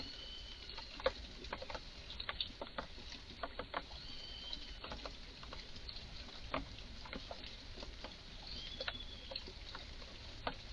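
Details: In a garden, an excited red squirrel utters odd, sharp clicking chucks at uneven intervals, some doubled. Faint thin whistles from a small bird sound in the background.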